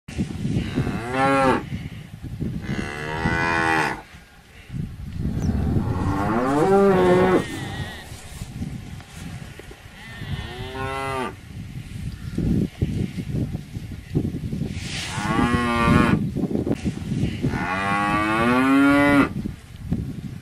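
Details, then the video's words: Cows mooing repeatedly, several drawn-out harmonic moos with rising then falling pitch, one about every three to four seconds, over a steady rumbling background noise. "Âm thanh con bò || Sound and picture of the Cows"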